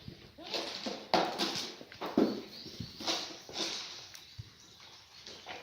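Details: In a birthing pen of black goat mothers and kids at a farm in Gimhae, Korea, on a sunny March morning, two brief nasal bleats rise above hoof knocks and rustling straw.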